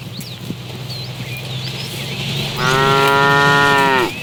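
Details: Tame cow wandering the road for food gives a long, even, harmonic-rich moo of about one and a half seconds after a stretch of low hum and scattered bird chirps.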